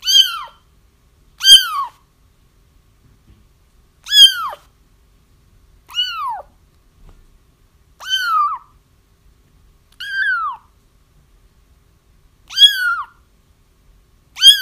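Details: Kittens crying, used for trapping a feral mother cat whose kittens have been found: high, arched mews that rise and then fall, spaced about every two seconds, with quiet gaps and no other sounds.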